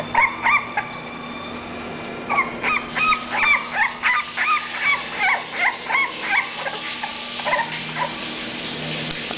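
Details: English bulldog Sokko from a breeding kennel: brief, pitched whines in a quick even series of about three per second, rising and falling slightly, then tapering into softer whimpers, with a low constant hum underneath.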